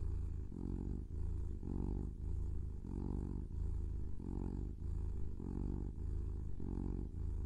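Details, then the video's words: Pet kitten purring close up, a steady low rumble pulsing in regular inhale-exhale bursts about every half second to second, no other sounds. "Kitten Purring"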